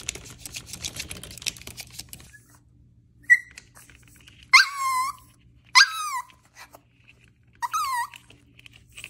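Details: Maltese puppy barking: after a quiet, rustling start, three high, squeaky yelps, each sliding downward in pitch, come in short bursts about a second apart.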